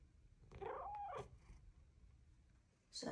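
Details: Luxe, a female Bengal cat, indoors and lately keen on exploring the shower, gives one short trilled chirp that rises then falls over about three quarters of a second, followed by quiet and a brief noisy burst at the end.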